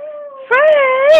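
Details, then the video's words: Frankie, a pet Chihuahua known for singing, holds a steady thin tonal note, then breaks into a louder, wavering howl rich in overtones that rises and dips over about a second. "frankie sinatra the singing chihuahua"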